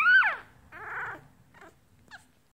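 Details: Hungry one-week-old Yorkshire Terrier puppy, teacup size, crying indoors: a loud high squeal that slides downward, then a rougher grating whine and two faint short squeaks fading out.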